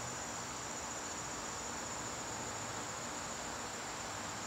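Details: A September evening in a garden, with crickets keeping up an unbroken, thin, high ringing trill, backed by a dense wash of hiss and a soft low rumble.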